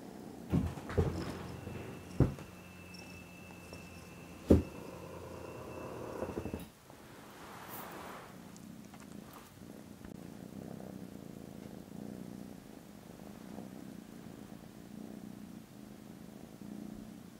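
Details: Contented foster kittens snoozing after lunch, with very loud purring, recorded Friday 18 December indoors; a low, steady rumbling purr takes over after several seconds of knocks, clicks and rustling in a small room.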